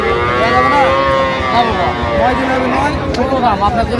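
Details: Market lowing from Sahiwal bull calves in Tangail, Bangladesh, recorded 18 December. Short curved moos come roughly every second, rising then falling in pitch, over a background of crowd talk and traffic.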